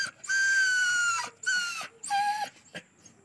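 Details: Injured dog found lying on a roadside with a badly wounded body, unable to walk, while being treated: three loud drawn-out tonal whines. The first two are long and fall slightly; the third is shorter and lower. Voices murmur in the background.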